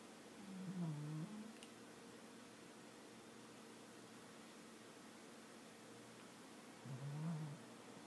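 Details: Sleeping pet cat snoring indoors, stretching at one point; two soft, low rumbling breaths about six seconds apart, separated by near silence.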